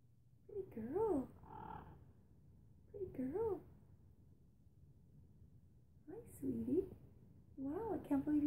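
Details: Indoors, a rescued feral cat that has just come out from hiding after weeks gives four wavering, bending meows in quick succession, some double-humped, amid a quiet room hum and a woman's voice.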